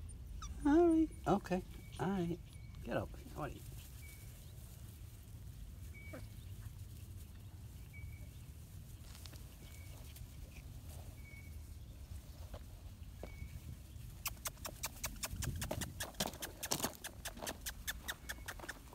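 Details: Fox Terrier/Maltese mix puppy giving a quick run of high, falling yelps at the start, then quieter, with a person talking to it and low background rumble; rustling and tapping near the end.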